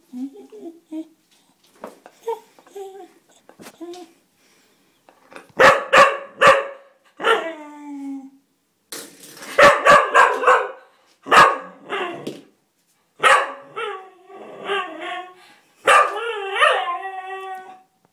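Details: Cocker Spaniel Ozzie begging to play with the spring behind a door: soft whimpers at first, then bursts of clustered barks and drawn-out wavering cries, with some human voice mixed in.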